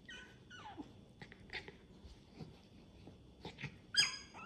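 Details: Mother dog playing with and staying close to her puppies indoors; short high whimpering yips and squeaks, some sliding downward, scattered across the moment with a sharper squeal near the end, over quiet room hiss.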